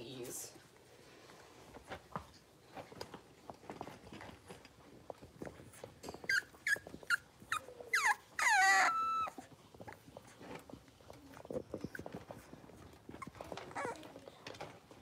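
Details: Blenheim Cavalier King Charles Spaniel puppies, six weeks old, in an indoor puppy pen; a burst of high, thin whistling whines and yips around the middle, sliding up and down, over soft rustling and scuffling.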